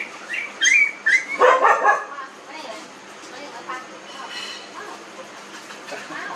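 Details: Several 19-day-old newborn puppies in a village: a burst of high, squealing whimpers and thin rising whines in the first two seconds, fading to soft, scattered squeaks over low background murmur.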